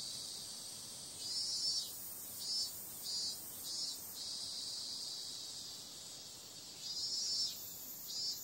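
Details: Summer-night cicada chorus: a continuous high, shrill hiss broken by louder rasping surges, some long and some short, recurring irregularly through the recording.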